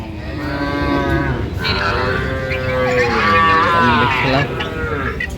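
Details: Small young bulls and heifers acquired by a young woman farmer returned from Saudi Arabia: several successive moos, some long and level, others bending upward, over a murmur of human voices.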